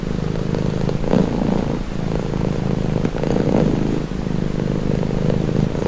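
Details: Domestic cat purring for relaxation, a deep rattling rumble rising and falling with each breath, louder swells around every two to two and a half seconds.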